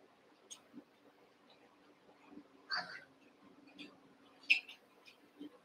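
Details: Cavalier King Charles Spaniel puppies, Daisy's six merged with Robin's two, playing together indoors; two short high-pitched squeals stand out amid scattered soft clicks, tiny squeaks and a steady low hum.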